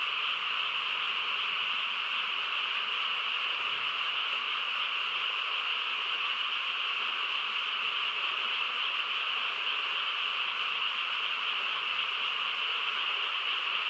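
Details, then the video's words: On a still rural night, a frog chorus pours out steadily, countless croaking voices merged into a constant buzzy hum at unchanging volume, with no other sounds standing out. "고요한 시골 밤에 개구리 합창 소리"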